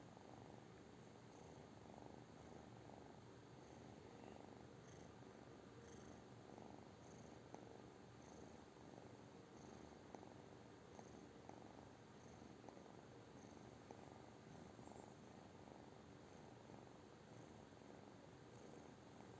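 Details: British Shorthair cat giving a long, even purr, a low pulsing rumble repeating in regular breath cycles about every second, a few faint clicks on top.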